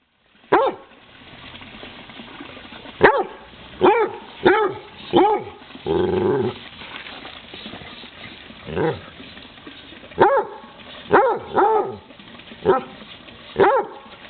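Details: Basset Hound chasing a frog, giving loud harmonic barks and baying yelps in irregular bursts, about ten over the span, with a longer drawn-out howl near the middle.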